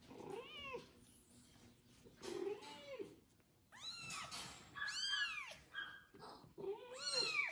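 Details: Freshly bathed kitten, cared for by a foster mother cat that licks him, calls in loud rising-and-falling meows, some doubled, with rustling between calls.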